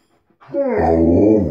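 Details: Indoors, Tonka the Alaskan Malamute, having barged into the bathroom, lets out a rough, gravelly wooing sound that swells and holds, mixing a low growl with a howl-like tone in a small room.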